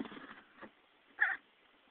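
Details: A male baby chinchilla taking a dust bath lets out one quick, sharp sneeze after a stretch of soft rustling.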